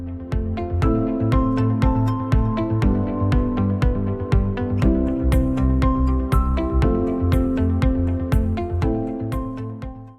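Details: Only music is heard: a steady electronic track with a regular pulse and held chords. No barking, growling or other animal voice comes through.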